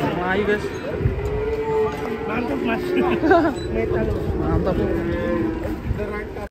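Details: Cattle during unloading from a truck in Indonesia let out a long, steady low moo lasting several seconds, mixed with busy human voices and background clatter.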